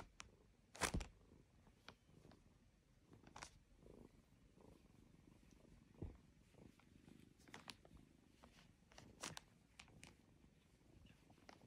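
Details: Domestic cat purring, a soft, low, steady rumble that runs the whole way through. Scattered sharp clicks and taps sit over it, with one louder knock near the start.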